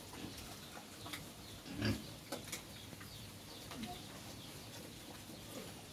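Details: Native pigs on a farm give a single short, low grunt near the middle, followed by a few softer faint grunts, over a steady rural background with faint high bird chirps and light knocking.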